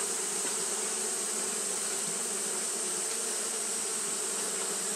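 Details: On a hot day, Japanese honey bees keep fanning without pause, making an unbroken droning buzz, low and even throughout, under a bright steady hiss.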